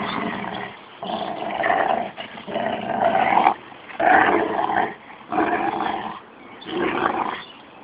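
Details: Playful growling between a 13-month-old Rottweiler and a 6-month-old Jack Russell cross: harsh, throaty growls lasting about a second, repeated with brief gaps and rising and falling in loudness.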